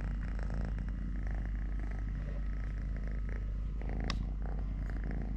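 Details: Purring cat named Totoshka, a three-legged pet male, giving a steady, deep, rumbling purr that runs unbroken throughout, with a brief sharp click near the end.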